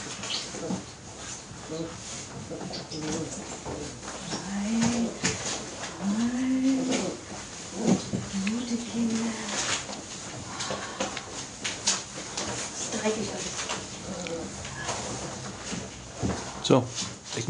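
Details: Airedale Terrier puppies at four weeks old, a drawn-out rising and falling whimper-howl repeated a few times over several seconds, mixed with scuffling, knocks and background noise.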